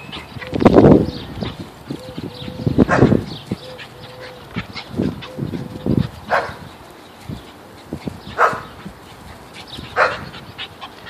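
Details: Pit bull in play with a bull terrier, giving short gruff growls in irregular bursts, loudest near the start. A faint steady whine-like tone runs between them, and sharper higher yelps come later.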